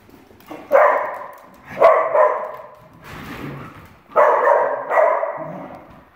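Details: Indoor play between Dachshunds Jax and his sister Penny as they chase each other. Loud, harmonic growling barks arrive in pairs, two groups roughly two seconds apart, with quieter rumbling in between.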